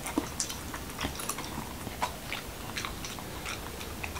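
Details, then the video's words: Close crunching from Momo, a Corgi in Washington DC, eating a taco night meal of whole wheat shell, cucumber and lean beef; quick brittle cracks and chomps follow one another every half second or so. "Dog Eating Tacos| Dog Food Reviews |Corgi Mukbang"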